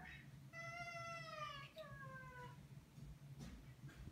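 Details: Maine Coon begging to go out, producing a long wavering meow followed by two shorter descending mews, under a steady low hum in a small room, with a person talking afterwards.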